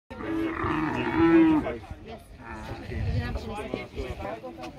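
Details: A camel at Petra, Jordan, in November gives a deep, drawn-out, harmonic groan lasting over a second, followed by murmuring background sounds.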